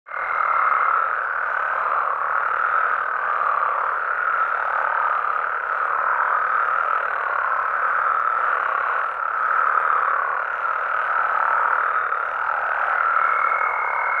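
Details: Frogs and toads calling at night in natural habitat in Mexico: a dense, unbroken chorus of overlapping croaks and trills, with a steady high tone at the start and again near the end.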